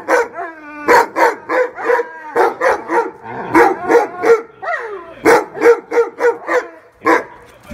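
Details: Weimaraner; barks and whines; jealousy over another dog getting attention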